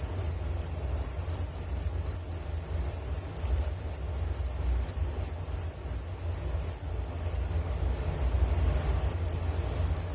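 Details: Crickets recorded as a nature sound for relaxation and sleep: dense, steady high-pitched trilled chirping in pulsed bursts, several insects overlapping, over a low rumbling background hum.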